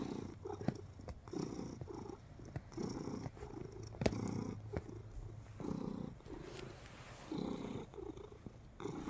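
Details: Relaxed pet cat purring while kneading, close up indoors: a low rumbling purr in rhythmic pulses, each lasting about a second, with soft clicks and rustling from the kneading paws.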